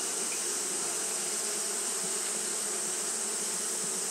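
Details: Fanning Japanese honey bees in hot weather: a dense, steady hum with slightly pulsing low tones and a continuous bright hiss above, never stopping or changing.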